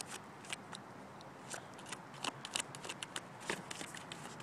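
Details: Lhasa Apso digging close by: soft, crunchy scratches and shuffling scrapes in uneven quick succession, indoors-sounding and fairly quiet.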